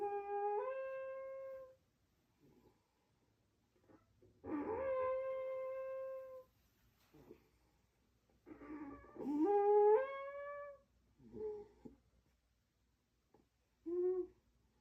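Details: Sleeping raccoon snoring like a trumpet: drawn-out, tonal harmonic blasts lasting one to two seconds that step upward in pitch mid-note, separated by quiet gaps and a few short, softer snorts.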